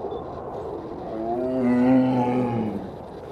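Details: A zoo tiger gives a deep, drawn-out roar that swells and then sags away.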